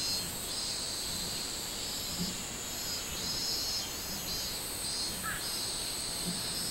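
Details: Summer chorus of minmin cicada, recorded 24 July 2016, with throbbing high buzzy pulses rising and falling over a constant shrill background drone, and a brief faint chirp near the end.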